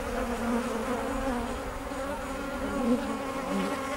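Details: Kept bees humming in a continuous low drone with layered overtones, level and unbroken, with small swells in loudness.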